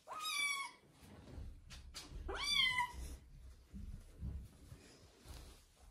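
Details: Kitten Joe during his first bath, given along with flea treatment before he leaves for a new home: two loud, drawn-out meows that rise then fall, about two seconds apart, followed by faint rustling and low thumps.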